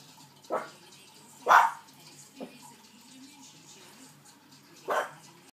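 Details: Maltese Shih Tzu guard dogs barking on guard; four short sharp barks spaced about a second apart with quiet gaps between, the second the loudest.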